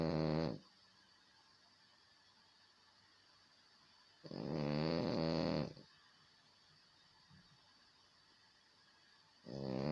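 A French Bulldog snores in loud, rattling breaths, each lasting about a second and a half.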